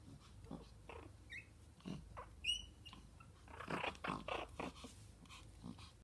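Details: Two Pomeranian puppies playing together, sometimes fighting: one brief high squeaky yelp, several soft breathy huffs and low grumbles, and scuffling sounds between quiet gaps.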